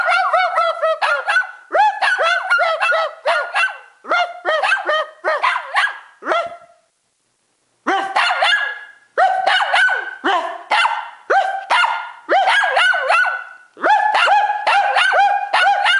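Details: Pet dog in a playful bark war with its owner, later excited by an approaching camera: dense runs of sharp, high barks, a brief silent pause near the middle, then renewed rapid barking to the end.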